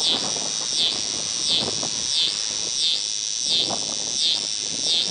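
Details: Neotibicen pruinosus cicada singing at a rest stop along I-70 near Paxico, Kansas, in August 2007: a steady, high, shrill buzzing drone that dips and swells rhythmically about every 0.7 seconds, with low traffic rumble underneath.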